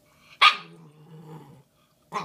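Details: Female Shiba Inu puppy Bowie, nearly five months old, with her big Valentine's Day bone treat: one sharp bark that drops into a steady, low, droning growl lasting about a second, then a short second bark at the end.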